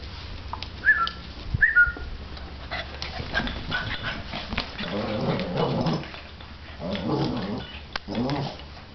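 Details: Two Boston Terriers playing give a couple of thin, high whines, then rough, throaty play growls in short bursts.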